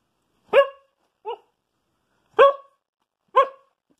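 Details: Sissy, a female Siberian husky, gives a short series of sharp, harmonic barks, counting to numbers on her owner's command as a trick.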